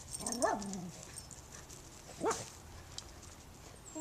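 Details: Puppy meeting a new neighbour gives two short rising yelps, the first curving down into a brief whine, the second a sharp upward squeak, with quiet background between.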